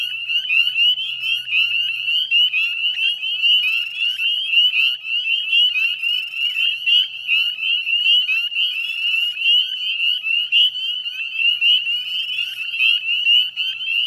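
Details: Dense chorus of northern spring peepers at dusk on 18 May 2020, 9:08 p.m., by the Chezzetcook salt marsh, West Chezzetcook, Nova Scotia, Canada: countless high, piercing rising peeps overlapping into a continuous shrill ringing wall of sound.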